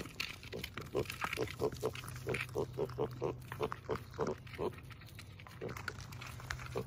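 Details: Tiny rescue piglet at a farm sanctuary, playful three weeks after brain surgery, making a rapid run of short even grunts about three per second, then a pause and a few more, with a constant low hum behind.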